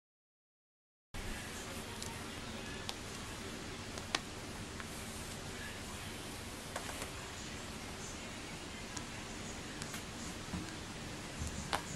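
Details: After a second of silence, a quiet indoor room hum continues with faint rustles and occasional soft clicks.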